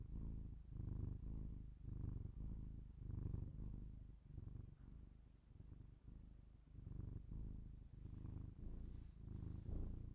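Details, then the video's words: Close binaural recording of a cat purring indoors, a low throaty rumble surging and fading with its breathing about once a second, steady throughout. "cat purr"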